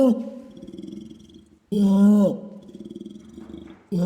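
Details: Orangutan long call, used to communicate across the dense rainforest: deep harmonic tones, one swelling into a louder, sustained, slightly arching note, with softer pulsing rumbles between the louder notes.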